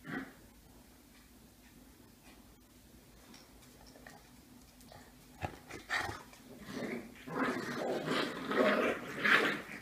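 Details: Gryzia's puppies, beagle-type dogs, play-fighting indoors; quiet scuffling clicks at first, then from about seven seconds a loud burst of rough, buzzy growls and yelps rising in intensity, repeated in quick uneven pulses.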